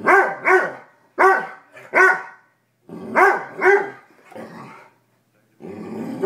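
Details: Pet dog barking and growling in a basement, afraid to touch a raw chicken foot it was given; paired loud barks with rising-falling tone, followed by lower rough growling noise toward the end.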